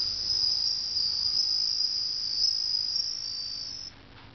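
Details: Summer bell cricket kept at home, a curious pet nearby: a continuous, glassy high-pitched trill lasting most of the clip, cutting off abruptly near the end into near silence.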